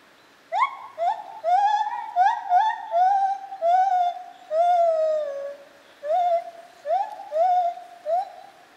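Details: White-handed gibbon at Zoo Opole, 2015, in a continuous bout of loud, resonant hoots, swelling into long notes that slide downward, then shorter rising hoots repeated about twice a second.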